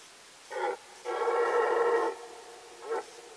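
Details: Rutting red deer in the Sandomierz Forest, Poland, 2018, gives a short grunt, then a sustained rich harmonic roar of about a second, and a brief closing grunt, in a still forest.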